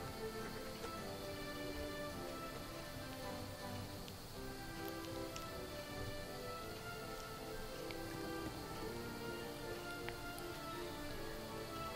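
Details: Steady instrumental music with sustained tones and a soft, continuous rain-like hiss underneath, with no animal voice heard.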